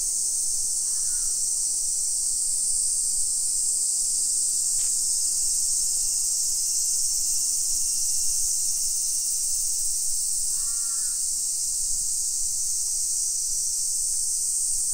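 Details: Midsummer cicada chorus at 1 PM, 28 July 2021, on a hillside residential street near Nagoya, Japan: loud continuous high buzzing, a short sharp click near five seconds, and a couple of harsh crow caws at the start and near eleven seconds.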